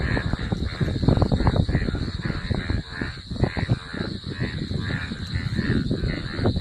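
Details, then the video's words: After rain, a chorus of Indian bullfrogs (sona bang) calling together: loud, rough, pulsing croaks overlapping continuously from many frogs, steady and unbroken throughout. "বৃষ্টির পরে সোনা ব্যাঙ গুলো আড্ডা দিচ্ছে গা গো করে"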